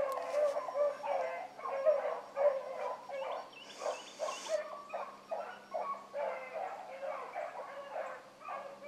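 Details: Rabbit-running hound pups, Ringo, Mingo and Choco among them, on a morning hunt; continuous loud baying from multiple dogs in rhythmic pulses, with a brief hissing rustle near the middle.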